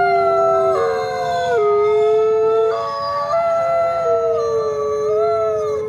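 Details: Coyote howls: several voices hold long, wavering tones that drop and rise in overlapping layers, against a steady low noise floor.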